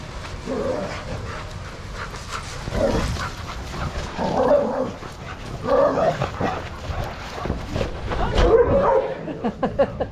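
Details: Dogs playing together in a shelter yard under handler supervision, having fun; short bursts of barking and yipping come in clusters every one to two seconds, with rustling and background chatter around them.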